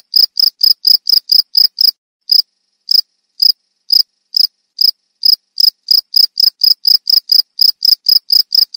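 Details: Cricket giving short, high, ringing chirps in quick runs, with a sparser, pausing stretch in the middle before the rapid, regular series resumes; nothing else heard.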